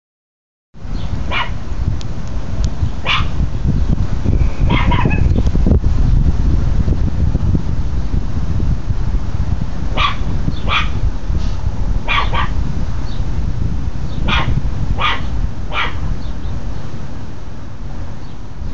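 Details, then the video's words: Tucker, a pet dog, barking at people next door: short sharp barks in irregular bursts, sometimes doubled, several per second at times, over a steady low rumble of wind or handling noise. "Tucker barking at people next door"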